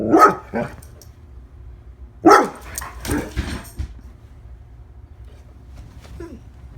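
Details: One-year-old female Labrador Retriever barking: a loud, sharp bark, a softer follow-up, then another strong bark about two seconds later and a weaker one, with quiet gaps and a faint short yelp near the end.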